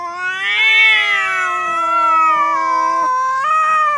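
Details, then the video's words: Domestic cat giving a long, loud, drawn-out wailing meow that rises, wavers and slowly falls, then lifts again briefly at the end, with a clear tonal quality throughout. "Funny Cats VOICES compilation : Meowing"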